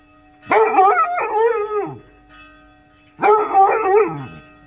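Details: Roused by church bells, a Basset Hound sings in two loud, rough-edged howls with a wobbling pitch and a downward slide, the bell tone humming steadily beneath.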